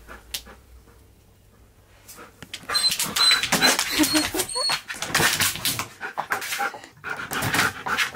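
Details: A seven-year-old Siberian Husky reunited with his best friend dog after three months apart, on his birthday, April 2nd, giving excited rapid whines and yelps after a quiet start, with people talking nearby.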